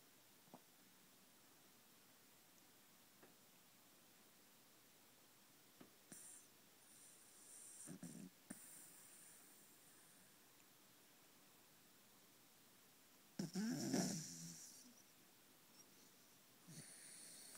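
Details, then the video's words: A 3 1/2-year-old Corgi named Mr. Kirby, deep asleep, gives scattered soft snorting breaths over a quiet room, then one loud rasping buzz-saw snore near the end. "The Snoring Corgi"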